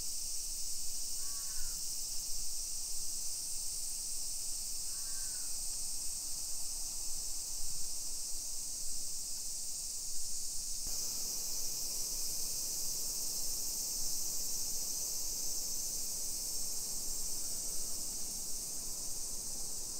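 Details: Summer cicadas in a hillside residential neighbourhood of Nisshin, suburban Nagoya, Aichi Prefecture, Japan, at 1 PM on 28 July 2021: a steady, high, unbroken shrill drone throughout, with two short crow caws early on.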